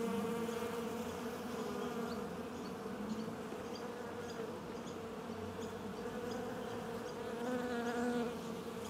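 A steady, dense hum of many bees, with several overlapping droning tones.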